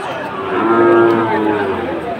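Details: Cattle lowing at a Chattogram market in Bangladesh on 7 September 2024, where Sahiwal bulls are being bought. A single long, steady moo holds an even tone for nearly two seconds over a faint crowd murmur.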